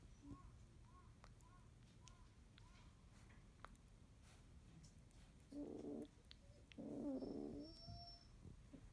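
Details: Morning among 31-day-old field-type Labrador Retriever puppies, most still asleep: faint, soft, short whimpers repeat early on, then two louder, longer whining cries follow near the end over low background rumble.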